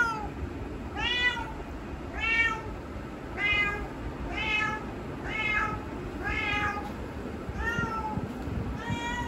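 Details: Domestic cat meowing because it wants to go outside, roused after another cat called from beyond the door; about eight arched, harmonic meows, each roughly a second apart, steady and insistent over faint room noise.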